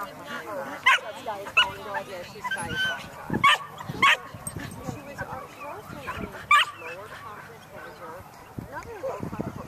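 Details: Samoyed SaraBlue, a 15-month-old female untrained in herding, meeting sheep for the first time at an AKC Herding Instinct Testing Event near Berryville, Virginia, on June 15, 2013; sharp, separate barks scattered across ten seconds while people talk outdoors.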